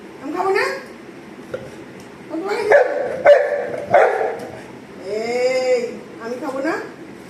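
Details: Golden Retriever Anna begging her owner for an apple, giving a drawn-out arching whine with layered harmonics near the end, mixed with a few short yelps and frequent human speech.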